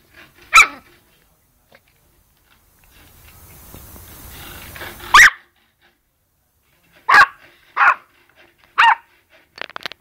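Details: Sneezing Yorkshire Terrier: one sharp sneeze, a soft hiss-like rustle, then another burst and a rapid run of three snorting sneezes, ending in faint little sniffs.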